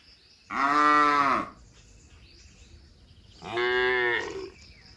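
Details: Cattle being herded through forest back to the shed, jumping cheerfully; two loud, harmonic moos about a second long each, separated by a quiet pause, with a faint high insect-like buzz in the background.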